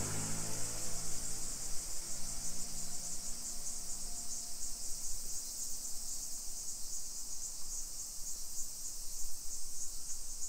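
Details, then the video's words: Summer cicadas in a hillside residential neighbourhood of Nisshin city, suburban Nagoya, Aichi Prefecture, Japan, at 1 PM on 28 July 2021. A steady, high, hissing drone runs throughout, with a low engine-like hum fading over the first seconds. "Summer Cicadas Sounds"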